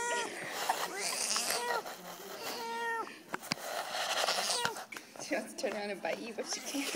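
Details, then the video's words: House cat that dislikes being petted, meowing indoors: several drawn-out, harmonic meows, some rising then falling, spaced a second or so apart, over human speech and handling noises. "Poor kitty hates pet pets."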